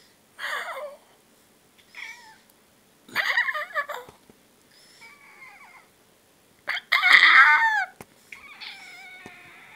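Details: Pet "talking" cat, said to swear while demanding food, gives about six separate meows over ten seconds: loud, wavering and drawn out, some bending down in pitch, with quiet pauses between them.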